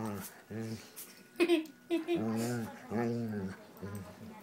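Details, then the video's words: Doberman 'talking' indoors: a run of drawn-out, moaning, arched vocal tones with rich harmonics, each lasting about half a second, given in four or five bursts with short gaps, plus a few sharp clicks between them. "Talking Doberman"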